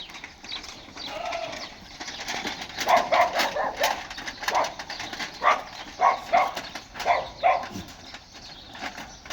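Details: Osmanabadi goat bleating: a run of short, nasal, harmonic bleats in quick succession through the middle of the recording, each under half a second, over constant rustling and crackling handling noise.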